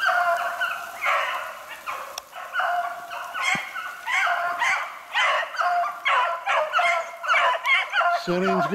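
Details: Hunting beagles chasing a snowshoe hare in the rain on 8 March 2016, Spade out in front; a string of loud, clipped bays repeats roughly twice a second, each voice rich and ringing, overlapping other hounds.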